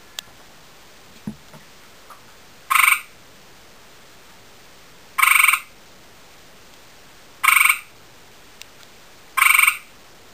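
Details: A male gray tree frog (Hyla versicolor), having seen a female, calls to her with short, musical trills, each about half a second, repeated every two seconds.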